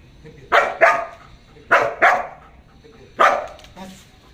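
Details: Belgian Malinois named Jax in guard-dog training, barking on command beside its handler without attacking, collar released; five loud harsh barks in pairs, about one each half second, with a pause between groups, over quiet room noise.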